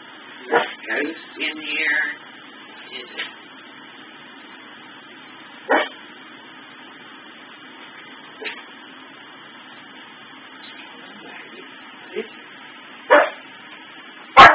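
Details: Maggie, a household dog, sounds off at blinking Christmas tree lights on a faulty sensor loop: scattered short yips and barks, some thin and whiny, with long gaps, ending in one loud bark.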